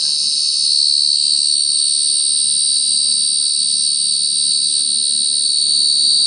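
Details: A cricket's continuous shrill trill, rapid pulses fused into one sustained high buzz with a strong upper overtone, level in loudness throughout over a faint low background hum.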